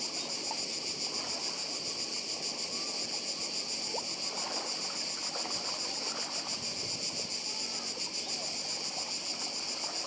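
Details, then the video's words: Cicadas on Badija island, Croatia, with the sea nearby: a dense, steady, pulsing high buzz that never lets up and fills the upper range, over a soft, low background hiss. "Cykady i szum morza w Chorwacji"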